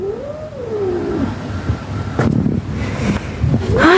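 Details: Nancy, a cranky mother cat irritated by her kittens and everyone else, makes an arching meow that rises then falls away. Scattered knocks and handling noises follow, and a sharper squeak comes at the end.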